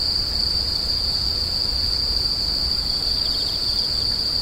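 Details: Insects screeching: a steady, unbroken high-pitched ringing tone holds level throughout, with a faint rapid pulsing just below it near the end and a low rumbling background.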